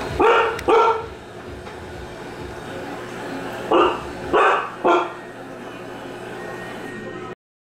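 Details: Pet dogs, an American Bulldog named Charlotte and a Siberian Husky named Sasha, react indoors to a new LG front-load washer: two loud barks in quick succession, a pause of about three seconds, then three more sharp barks close together.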